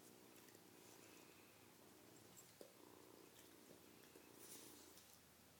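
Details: Kitten purring softly beside a dog, a steady low rumbling purr running through the whole stretch with faint rustles and occasional clicks, while a person speaks quietly nearby.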